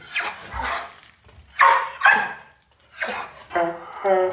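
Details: Belgian Malinois belonging to a family, barking while their Siamese cat tries to get close on an early morning walk out of the home garage; a rapid series of loud, rough barks, with a tonal, whining note near the end.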